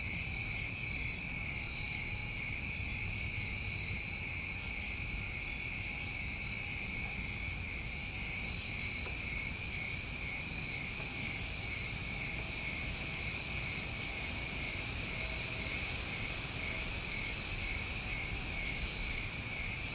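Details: Steady shrill trilling from many crickets on a New England summer recording, unchanging in pitch and loudness, punctuated by occasional brief high buzzes every few seconds; faint low rumble in the background.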